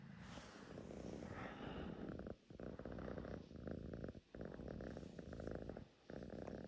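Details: Russian Blue house cat purring contentedly: a low throaty rumble broken into bursts by three short breath pauses, with a breathy rustle at the start.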